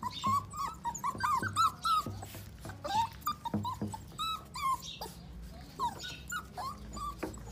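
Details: Pitbull cross Jack Russell puppies whimpering and squeaking: rapid, high, wavering whines overlapping in quick succession, several per second, with soft shuffling and low hum behind.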